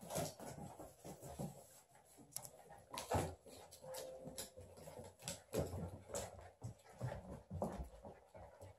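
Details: Fourteen-week-old miniature Labradoodle puppies playing with poodles in a living room: soft, brief whimpers and muffled play noises amid steady scuffling, thumps and the tapping of paws on the floor, with a faint high hum throughout.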